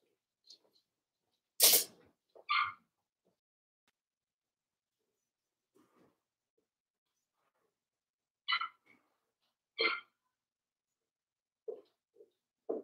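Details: Daisy's Cavalier King Charles Spaniel puppies, four weeks old, penned indoors: short, bright squeaks and yelps come as isolated bursts several seconds apart, with a sharp sneeze-like burst early on and faint soft sounds between calls.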